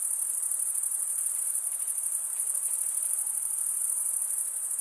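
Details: Chirping crickets, mainly males rubbing serrated wing veins together; a constant shrill, buzzing chorus pulses rapidly at a very high pitch over a soft hiss, unbroken across the whole stretch.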